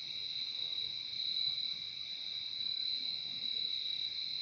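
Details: Crickets chirping in a continuous, high-pitched trilling mass, many insects blending into one constant ringing drone, steady loudness, quiet low-frequency ambience beneath.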